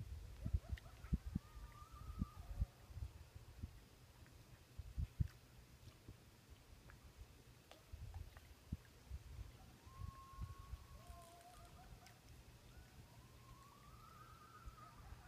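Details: Distant coyotes across a lake in Minnesota, at night during the full eclipse of a Blood Moon, give faint, wavering howls that rise and fall over a steady low rumble.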